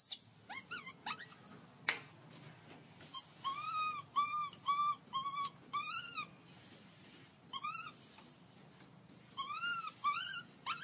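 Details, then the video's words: Loud crying from a hungry baby monkey begging for milk: scattered short squeaks, then series of arched wailing notes, about two each second, pausing and resuming, against a steady electronic-sounding high whine. "Baby monkey hungry milk crying so loudly to ask milk."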